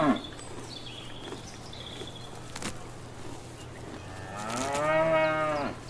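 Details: A cow grazing in a field or paddock gives a long, rising moo near the end. Quieter outdoor sounds and faint birdsong come before it.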